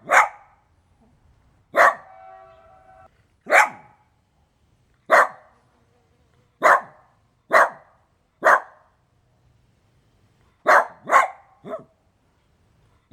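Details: Dog barking in single sharp, broadband barks spaced roughly every one to two seconds, eight or nine in all, with a faint tonal whine trailing after the second bark and near silence between.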